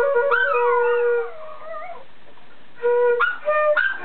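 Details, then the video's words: One-year-old female Chihuahua singing along to a flute: a high wavering howl that slides down over about a second, then shorter rising yelps between steady flute notes. "Chihuahua Singing Along to My Flute"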